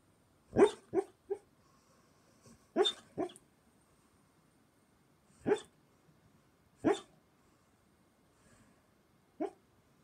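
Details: Female German Shepherd dreaming in her sleep, a dog that often dreams noisily. She gives short, muffled woofs: a cluster of three near the start, another two or three soon after, then single soft barks spaced a few seconds apart in a quiet room.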